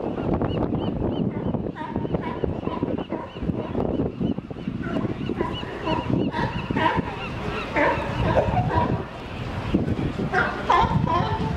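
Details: Sea lions at Pier 39 in San Francisco, a crowded chorus of harsh, repeated honking barks overlapping one another, some in quick runs, over a steady wash of crowd noise and voices.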